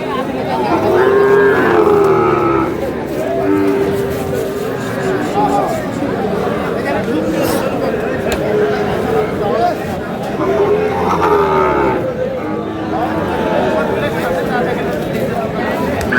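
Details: Sahiwal bull calves at a cattle market in Kurigram, Bangladesh, on 3 March; several drawn-out, low moos rise above steady crowd chatter and talking, with a pair of calls near the start and another near the end.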